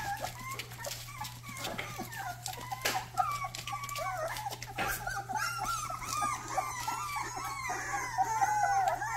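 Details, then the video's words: Rottweiler puppy's first barks: softer, high yelping barks and wavering whines mixed with clicks and knocks, growing busier toward the end, with a low steady hum behind. "first barks"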